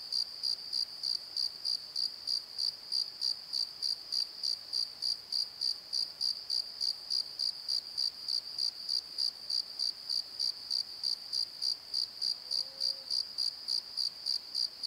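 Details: After dark in a valley bottom at Pozo, crickets keep up a rapid, regular high chirping, roughly three pulses per second, with one brief low whistled sound near the end.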